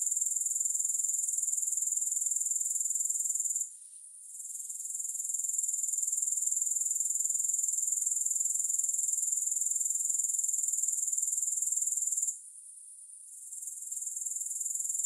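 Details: A continuous piercing insect drone from grasshoppers, fast and regularly pulsed. It cuts out twice for about a second each time before resuming at the same high, even pitch, with no other sounds.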